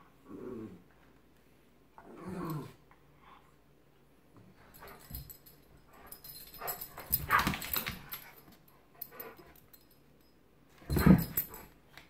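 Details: Giant Schnauzer at play with a Miniature Schnauzer, giving low rumbling growls and brief yips, mixed with scuffling and thumping noises of the two dogs tussling.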